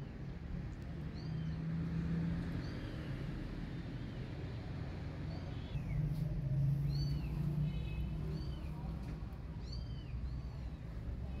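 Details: Mother cat with her kittens; a few thin, high, arching mews come at intervals through the clip, faint against a steady low hum.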